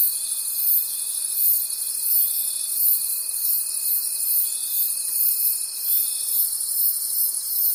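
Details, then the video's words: Night forest crickets in full chorus, a high, throbbing wash of trilling that swells and fades in quick beats, while a single pure, steady tone runs beneath it until near the end. "Forest Sounds and Cricket Conversations at Night"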